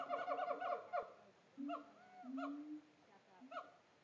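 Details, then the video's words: Siamangs calling in a Tampa zoo enclosure: a quick run of sharp barking notes opens, followed by drawn-out low hoots and a few looping, swooping whoops spaced about a second apart. "Siamangs at Tampa Zoo"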